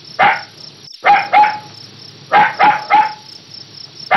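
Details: Puppy yapping: a lone bark, then a pair, then a run of three quick barks with ringing tails, over a steady high buzzing hum.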